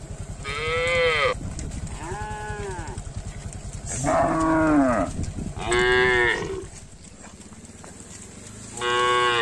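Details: Tame village cattle roaming a field and drinking at a village lake, with five drawn-out, arching moos of about a second each, some deep and some higher, over a steady low hum.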